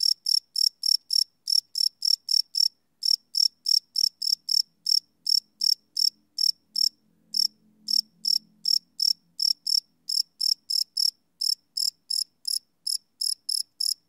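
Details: Crickets chirping at night, recorded live on a Sony PCM D100 field recorder: sharp high chirps pulsing about three times a second, with a brief pause near seven seconds and a faint low hum in the middle.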